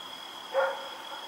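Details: Rex, a dog running around at night on October 7, 2018, gives a single short bark over a steady high electrical whine.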